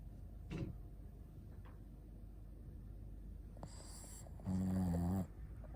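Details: Asleep, the Shih Tzu Ponta breathes softly with faint snuffles, then a short raspy inhale and a loud, low, buzzing snore near the end.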